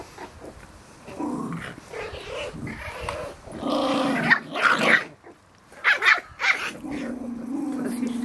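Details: Seven-week-old Schipperke puppies at play, apparently with their father nearby, give small growls and high, whining yips in short bursts while a person speaks.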